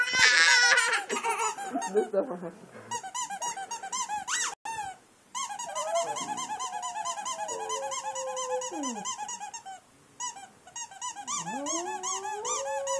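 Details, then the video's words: Boxer singing along to a squeaky toy, giving drawn-out howls that rise and bend downward, with constant fast toy squeaks and a burst of human voices at the start. "Singing Dog - Boxer"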